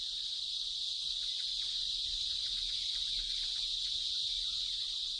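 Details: A male cicada's loud, steady buzzing drone in trees, its nuptial song made by vibrating a membrane to attract females, reaching up to 110 decibels.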